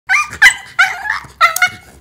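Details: Shiba Inu, a female afraid of nail trimming since puppyhood, squealing loudly and pushing away an owner's hand in protest before claw clipping begins; three harsh, high, strained squeals in two seconds, each bursting then sliding into a tense drawn-out whine.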